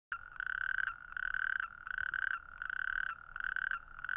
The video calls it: Natterjack toad